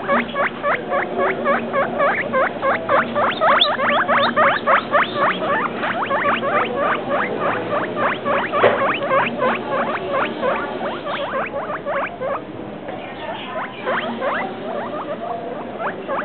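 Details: Guinea pig just over two weeks old keeps up a sustained chain of sharp piping squeaks, rapid and fairly regular, several per second, fading slightly toward the end against a quiet domestic backdrop.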